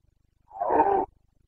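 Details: Carpathian red deer stag in the Bucovina mountains during the autumn rut, breeding season: one swelling half-second roar, harsh and throaty, cut off abruptly.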